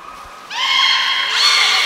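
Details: Beluga at Port of Nagoya Public Aquarium, 18 February 2024, during fish feeding and the play time afterwards. A steady tone jumps into a bright, nasal squeal rich in overtones that lasts over a second and edges upward near the end.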